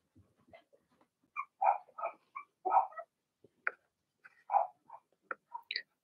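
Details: Blenheim Cavalier King Charles Spaniel puppies from Remy's first litter of six, barking in their indoor puppy pen: short, scattered yips and barks, irregular and separated by brief pauses, with quieter whimpers in between.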